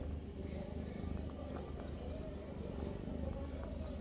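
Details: Avi, a pet cat, in the bathroom: a steady, low, rumbling purr with rapid even pulses running through all four seconds, and faint higher sounds above it.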